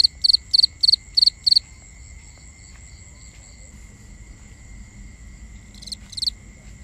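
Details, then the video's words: Crickets at night in a forest setting, recorded binaurally: a burst of five rapid pulsed chirps, then a steady high ringing trill with quiet stretches, and two more chirps near the end. "Cricket Conversations | Binaural Nighttime Ambience"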